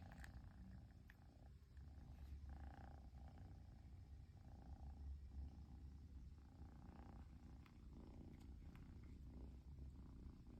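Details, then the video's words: Persian kitten in Japan, purring without stopping because its owner finally came home; deep, even rumbling purr in steady cycles for the whole stretch. "飼い主がやっと帰ってきてぐる音が止まらない子猫🐱purling kitty"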